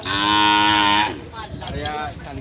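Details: Cattle at the Asemanis racing ground in Pamekasan, Madura, East Java, Indonesia, trained for kerapan sapi bull racing: a loud harmonic moo held steady for about one second, then fading into chatter and background noise.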